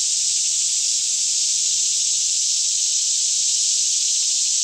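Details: A continuous, high, sizzling drone from a daytime cicada chorus in green Kentucky woodland near Franklin, recorded about 10am on a still morning with a Canon 5D Mk2; the sound stays level and unchanging throughout.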